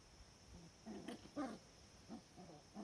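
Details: Young Cardigan Welsh Corgi puppies getting used to a garden, recorded 16 October 2020: a scatter of short, soft yips and squeaky whimpers in uneven succession, fairly quiet against a calm outdoor backdrop.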